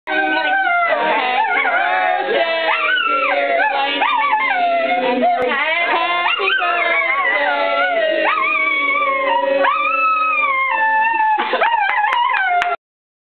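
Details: Miniature Schnauzer howling along to Happy Birthday: long wavering, sliding tones that rise and fall continuously over sung or played melody, held notes and pitch bends throughout, loud and steady.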